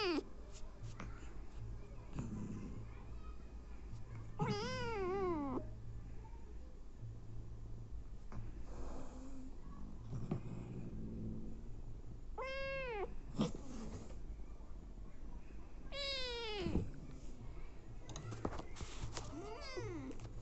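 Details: Hungry abandoned kittens fed by a nursing mother cat; four or five wavering, pleading meows come at irregular intervals, some quavering up and down, with a constant low hum and scattered handling noises between them.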